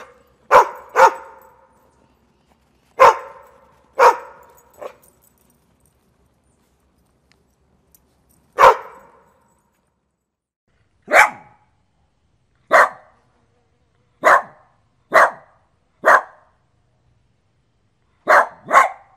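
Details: Dog barking in sharp separate barks, early ones loud and full, later ones thinner and clipped, around fifteen barks spread irregularly with gaps of up to four seconds.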